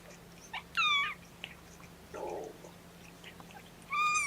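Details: Mama Seraphina's kittens, three boys and a girl, object to being pottied before weighing. Two clear, high, slightly falling mews sit about three seconds apart over a quiet room hum, with faint rustling between them.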